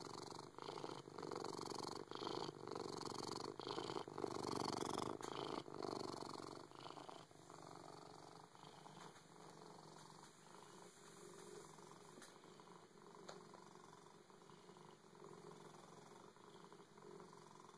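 A Siamese cat purrs loudly and steadily, a rough rhythmic rumble pulsing about twice a second.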